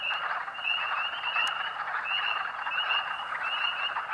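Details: A dense chorus of thousands of spring peepers at Rothrock State Forest, Huntingdon County, Pennsylvania, on March 11, 2012, early spring: countless high, piercing peeps overlapping into a continuous shrill ringing, audible nearly half a mile away.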